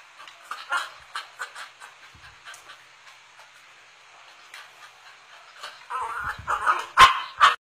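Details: A cocker spaniel wanting a Yakult bottle; a run of short, high, nasal whimpers and yips, some squeaky, growing louder and more insistent toward the end.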